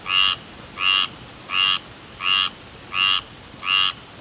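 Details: Tree frog calling insistently, six evenly spaced harsh croaks roughly every 0.7 seconds, each a short buzzy note with a bright upper band and a lower band, over a faint steady background hiss.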